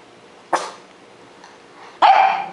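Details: Otto, a pet dog in Joinville, Santa Catarina, Brazil, waking up scared: two abrupt barks, the first short and sharp near half a second in, the second louder and drawn out with a falling whine-like tail, quiet room otherwise.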